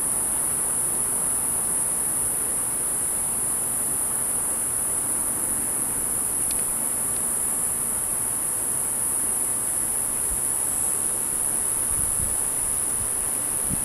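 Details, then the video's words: A cicada filmed from about 10 feet away sings a steady, very high-pitched electric buzz that never breaks, over a soft outdoor hiss. "Cicada Video and Sound"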